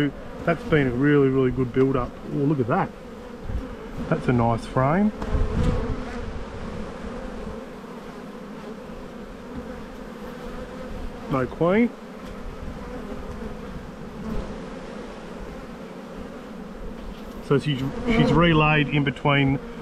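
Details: Springtime honey bee colony buzzing in the bee yard as a hive is inspected, 7-9-22; an even low hum fills the middle stretch, with a man's speech at the start and again near the end.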